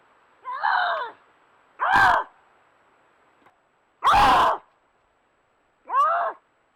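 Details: Lynx, a wild cat of North America, uttering four harsh, raspy screaming yowls spaced one to two seconds apart, the middle two loud and broad with rough grating tone, the others tighter and wavering.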